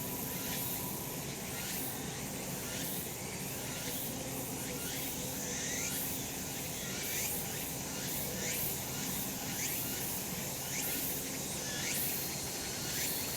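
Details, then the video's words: Cicada chorus on a sunlit mountain in summer, steady hissing drone with clear rising sweeps repeated about once per second throughout, plus a faint low hum beneath. "セミの鳴き声 夏の山 日なた"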